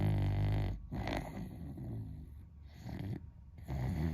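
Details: Pet Beagle sleeping and snoring loudly, humanlike; a thick low rattling snore fills the start, then softer rasping breaths with short quiet gaps near 0.9 and 3.3 seconds.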